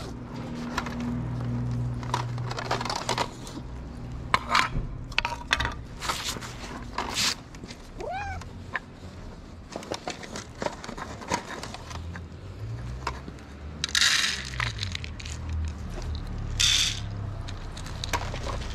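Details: Hungry feral street cats waiting for food: a single short, arching meow rises and falls midway, surrounded by frequent crackling, rustling and clattering handling noises with low background rumble.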